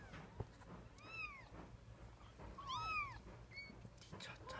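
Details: Kitten learning to take its first steps, recorded April 2014, gives two high, arching mews that rise then fall, followed by a shorter third squeak, over low room hum and faint rustling.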